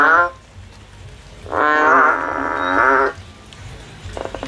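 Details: A frog climbing a tree in search of a way out gives one drawn-out, humming, nasal call of about a second and a half. A clipped call ends just before it, and a quieter fragment follows.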